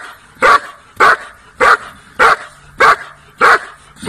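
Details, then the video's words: German Shepherd dog giving sharp single barks evenly spaced about every 0.6 seconds, steady and regular, with faint low hum between barks. "German shepherd dog barking"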